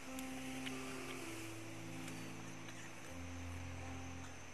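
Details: Low sustained instrumental tones over a steady hum, with no animal calls.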